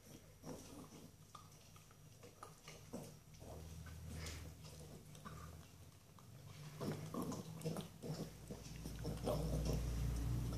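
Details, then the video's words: Little female Norwich Terrier savouring her bone, with deep rumbling grunts building toward the end, punctuated by sharp gnawing and chewing clicks. "Norwich Terrier enjoy bone / Norwich Terrier genießt Knochen"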